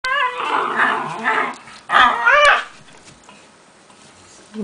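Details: Two Italian greyhounds playing together give high, harmonic whining yips and grumbles in two quick bursts.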